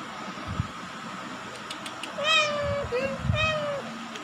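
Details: 20-day-old Indonesian village kittens, from a litter of four born 31 August 2020 in an attic, give high, thin, slightly wavering mews, several drawn-out calls close together, over soft thumps and rustling of handling.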